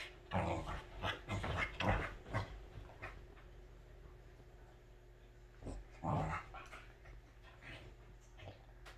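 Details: Happy Welsh Corgi indoors at home, showing how it acts when happiest: a rapid run of rough, grumbly whimpering bursts over the first two seconds, a pause, then another short burst of excited noises.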